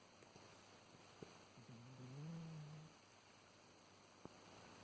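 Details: Black-and-white house cat snoring while fast asleep, a cat with kidney failure: a single soft, low rumbling snore in the middle, with faint clicks around it.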